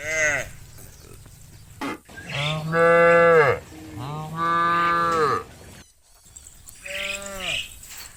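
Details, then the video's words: A herd of cows turns homeward from the fields toward the barn at sunset. Deep, drawn-out moos come from several animals, each lasting about a second and falling at the end, with quieter calls and faint background noise between them. "The herd of cows from the fields wants to go home to the barn, Funny cow sounds"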